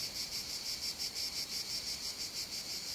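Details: A cicada in summer heat in the Calatrava hills, La Mancha, sings a steady, shrill, high buzz that pulses softly several times a second, with nothing else of note behind it.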